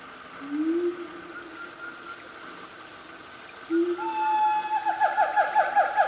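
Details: A family of siamangs, also called gibbons, in Gunung Nuang forest, Selangor, Malaysia, at about 10 am on a cool morning. Two low rising whoops, then a higher steady note breaking into rapid repeated accelerating barks near the end.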